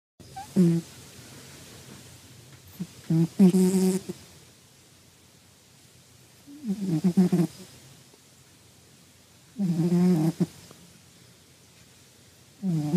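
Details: Sleeping cat snuffling and snoring: low, breathy harmonic snores around 200 with a brief hissy rasp, each lasting about a second and separated by several seconds of quiet breathing.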